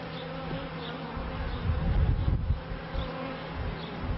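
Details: Honey bees buzz around the first hives of a 1990s bee yard, recorded in 1994. A continuous low hum is partly masked by rumbling, gusty bursts in the middle of the recording.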